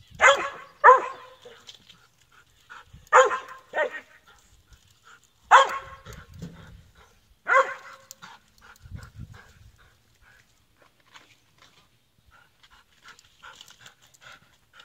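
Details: Loud, rough barks from a squirrel dog, some in quick doubled pairs, come in four bursts over the first eight seconds, followed by low rumbling sounds and then quieter, faint ticking noises.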